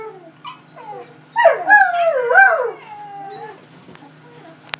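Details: Pair of Belgian Malinois howling and whining when left by their owners, iPhone recording; soft whimpers lead into a wavering, quavering howl of about a second and a half, then fade to faint whines.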